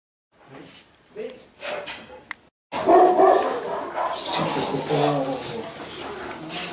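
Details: Presa Canario puppies from one litter, 112 days old, at their first glove training session; after a quiet start with voices, loud excited barking and growling noises fill the room, with people talking over the dogs.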